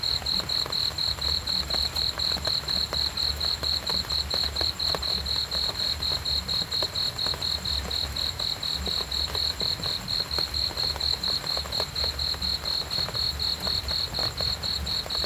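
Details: Long, unbroken run of high, pulsing cricket chirps at about four per second, steady and evenly spaced, with a gentle low background murmur.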